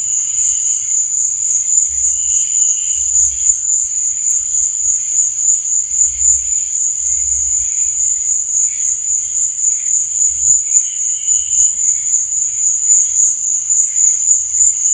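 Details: Night cricket chorus: a continuous piercing high-pitched drone, brief lower chirping bursts around two, three and eleven seconds, and soft low rumbles now and then.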